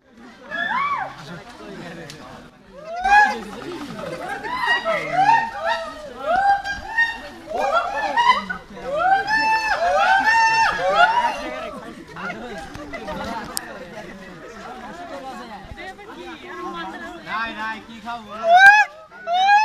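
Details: Hoolock gibbon giving loud, rising and falling whooping notes in bursts, some quickening into rapid runs, with pauses and softer overlapping calls between phrases.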